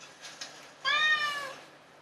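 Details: A domestic cat that constantly calls its owner for attention gives one clear, slightly arching meow lasting about half a second, preceded by faint softer sounds; this meowing signals the cat is dissatisfied.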